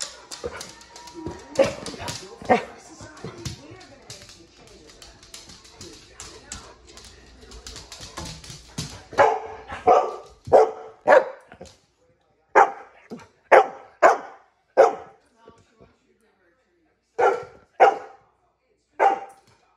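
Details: Female pet dog barking because she wants a treat; people talking and laughing for the first half, then a run of short, sharp barks in quick pairs and singles with brief pauses between.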